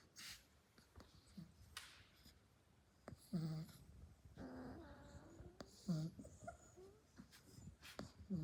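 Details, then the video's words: Labrador puppy snoring during a nap indoors: soft low snuffling breaths with short nasal squeaking notes roughly every two to three seconds, plus faint rustling. "Un #chiot qui ronfle en pleine sieste"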